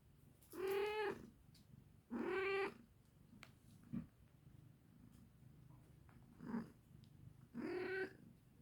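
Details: Cat that came in answer to its mother's voice and is sniffing around; three loud, harmonic-rich meows, each steady and about half a second long, spaced a few seconds apart, with soft shuffles and sniffs between them in a quiet room.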